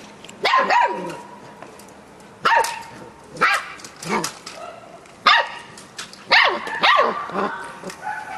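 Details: Samoyed puppy talking with a Labrador, giving about seven loud, harmonic yelping barks with rising and falling pitch, spaced roughly every second, with quieter sounds between them.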